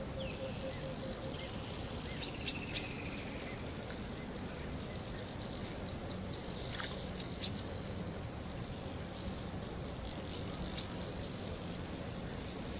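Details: Crickets singing together on a riverbank: a dense, unbroken high shrill chorus holds steady throughout, with a few faint, brief chirps and clicks rising above it now and then.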